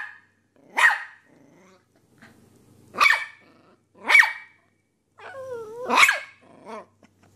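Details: Puppy barking in four sharp, high yaps with short squeaky whines and low growly rumbles between them.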